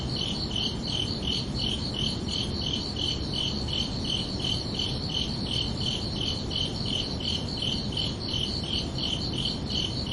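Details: Crickets under a peaceful night sky in summer, chirping in a steady high-pitched pulse near three beats per second for the whole stretch, with a constant low ambient rumble behind.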